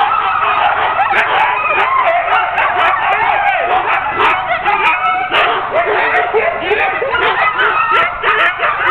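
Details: A ten-dog sled team waiting to be hooked up for a training run in October 2010: frantic mixed barking and wavering whines, many dogs at once, with sharp clicks.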